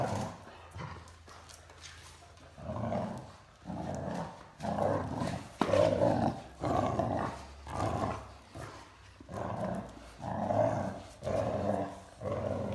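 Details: Male Great Dane puppy, 14 weeks old and 46 lb, growling while playing tug of war with a larger Great Dane indoors in an art studio; rough, low growls come in bursts about once a second, separated by short pauses.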